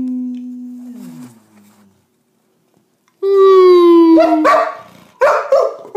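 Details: Baxter, a male springer spaniel, howling with his owner: a low steady human tone fades, then a falling dog howl with rich harmonics, followed by sharp barks and yips.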